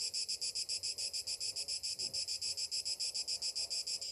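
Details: Summer morning cicadas, with a loud, crisp, rasping buzz throbbing in even beats about three and a half times per second. The rhythm is steady throughout.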